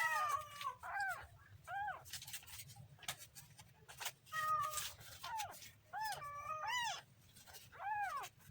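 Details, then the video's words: Kitten meows repeatedly, about nine short arching cries spaced roughly a second apart, some with a bent, wavering pitch. Soft clicks and light background noise sit between the calls. "kitten funny sound"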